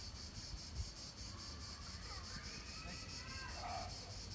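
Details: Cicadas in the Palais du Gouverneur park in Nancy, late July 2017, give a steady, high, pulsing buzz over low wind rumble.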